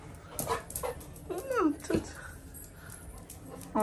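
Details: Labrador Retriever puppy at home with its family during the Karthigai Deepam festival; a few short, high whining whimpers that bend downward, mixed with soft rustling and a person's brief voice.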